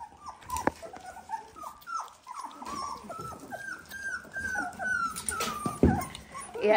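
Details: Eighteen-day-old Dalmatian puppies kept indoors give a steady run of high, downward-sliding whimpers, roughly one per second, overlapping one another, with a brief thump and a faint voice in the background.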